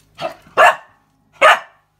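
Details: Male Australian Cattle Dog barking as if demanding something he wants: three short, sharp barks, the first softer, the next two loud and forceful, with a pause of about a second before the last.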